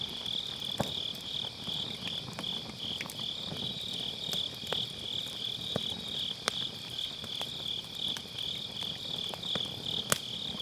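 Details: Grass insects sing a seamless, high, ringing trill on an autumn night by a campfire in a round fire pit, recorded on an MKE600 with low cut, with frequent small crackles and occasional sharp pops from the burning wood.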